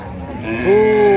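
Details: A cow in Indonesia said to have caught a chill, collapsing right after arriving: one short, low, steady moo that rises slightly, then holds level for about half a second over a faint background murmur.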